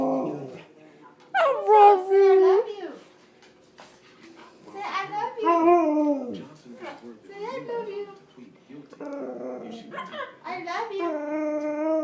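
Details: Pet husky-Malamute mix dog that does a lot of talking, giving drawn-out, wavering howl-like vocalizations in several bursts, some sliding down in pitch, broken by quieter whimpers, with a human voice speaking alongside.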